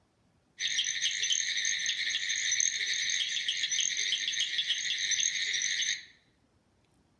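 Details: In Alabama early in frog and toad season, a very small Southern cricket frog (Acris gryllus) gives its advertisement call, a fast, high-pitched series of clicks like two marbles clinking together.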